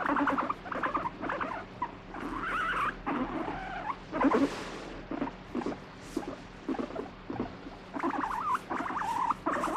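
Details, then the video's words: Irritable pet guinea pig being stroked, turning from 'pet me' to 'don't touch': rough pulsed chattering bursts with rising-falling whine notes, a short rustling noise in the middle, then more rapid buzzy bursts. "撫でろ！触るな！撫でろ！あっち行け！なモルモット Fighting Guinea Pig"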